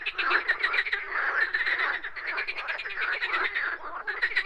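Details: Frogs calling in a dense chorus: rapid, overlapping, rattling croaks pulse without pause, forming a thick continuous wall of sound throughout.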